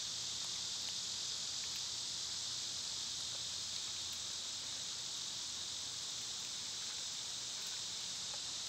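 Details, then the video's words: Loud, dense cicada drone in summer, an intense sizzling hiss that holds steady without pause, with faint pulsing ticks underneath. "Cicada sounds"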